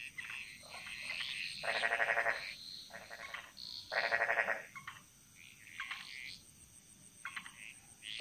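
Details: Jungle frog chorus from Bali: loud pulsed rattling croaks in repeated bursts, the strongest near two and four seconds, with fainter overlapping calls and a steady high background trill.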